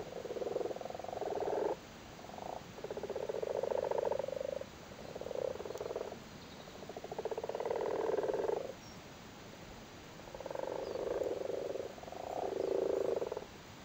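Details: Irish frogs in a flooded cattle grid in Cork, Ireland, sitting on their spawn during spawning season; low purring croaks come in rattling bursts of one to two seconds, several overlapping, with short quiet gaps between.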